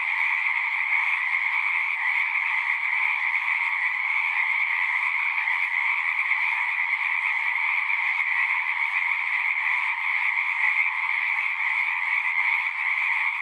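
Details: Pond frogs in a horse pasture sing together, recorded with a Zoom 6; constant high-pitched trills pile up into a thick, seamless chorus with steady loudness.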